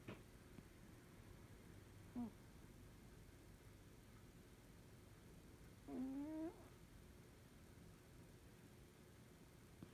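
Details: Norwegian Forest Cat snoring while sleeping comfortably indoors; a short low nasal tone, then a longer steady humming snore with a slight upward bend, over a quiet room hum.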